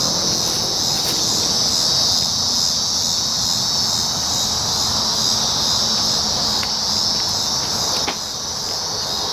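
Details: Continuous shrill droning of cicadas, 19 July 2019, even in loudness for about eight seconds before dropping slightly, a few sharp ticks breaking through the constant high hiss.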